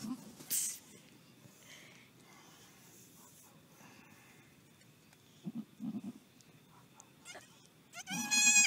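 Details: Newborn pygmy goat kid with a child: brief nasal bleats midway, then a louder, wavering bleat at the end, among scattered rustles, clicks and a faint steady hum.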